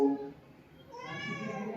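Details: Pet cat running up to greet its returning owner, giving a drawn-out, slightly rising meow with clear harmonics after a brief burst of background music and laughter; indoors.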